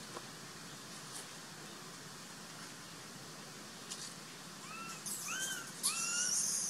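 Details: Baby monkey Sovana, abandoned, crying for the troop to take her back. Quiet outdoor hiss at first, then three short arched squeals in a row close out the stretch alongside a few sharp noisy bursts.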